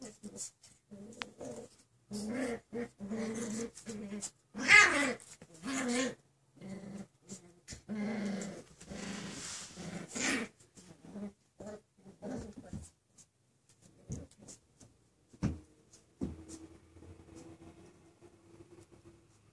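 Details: Playful six-week-old Miniature Schnauzer puppies growling and grumbling in a run of harmonic, rumbling bursts that fade toward the end, with a person talking over them and light scuffling noises.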